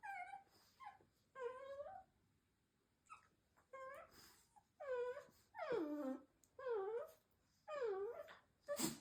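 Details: Indoors, the firstborn older female Shiba Inu chats with her mother in strange vocal sounds: drawn-out, bending moans and whines, roughly one each second, some sliding down then curling back up.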